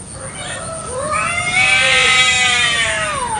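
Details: Domestic village cat in a territorial fight in a morning garden; one sustained, rich yowl climbs, holds loudly and slowly drops away.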